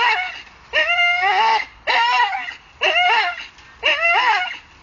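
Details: Staffordshire bull terrier dangling from a tree, going wild on it: four loud, high-pitched strained cries, each roughly a second long with a slight upward then falling bend, separated by brief pauses.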